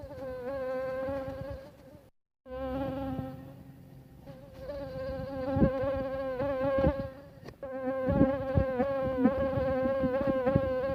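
A mosquito's thin, steady whine, wavering slightly in pitch as it drifts closer and away.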